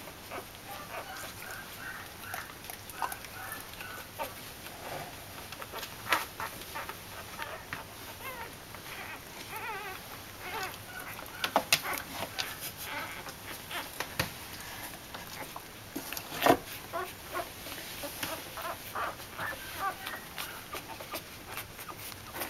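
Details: One-week-old Corgi puppies from a single litter give soft, high squeaks and little grunting whimpers amid shuffling noises.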